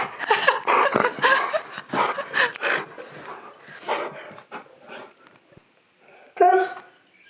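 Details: Pet dog indoors reacting to its owner gasping dramatically, seeming to ask if the owner is alright: a run of drawn-out, wavering howl-like vocal bursts in a small room, a brief pause, then one more short yowl.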